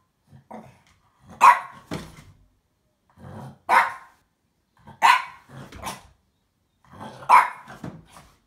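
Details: A female French Bulldog playing with a box and wanting to fight it gives short, harsh barks in uneven bursts a second or two apart, with lower grumbling growls and snorts, excited and agitated.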